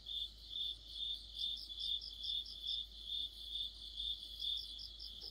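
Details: Crickets and other insects chorusing in mid-autumn: steady high chirps repeated about twice a second, with a fainter, higher pulsed trill running over the top; no other clear sounds.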